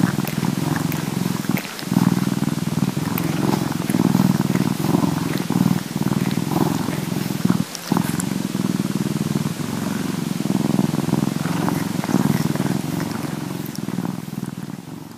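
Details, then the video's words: Bombay cat grooming itself while purring, field recording; long even low purr with regular pulsing, short pauses near two and eight seconds, light grooming clicks over the top, fading slightly at the end. "Our Bombay Cat Purring and Cleaning"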